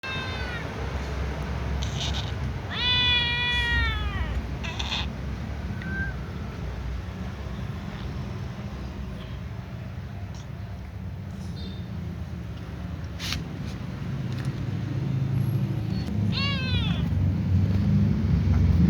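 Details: Little ginger cat meowing while yawning and watching other cats; a drawn-out harmonic meow near 3 s with shorter calls around 4 and 16.5 s, over steady low rumbling background noise.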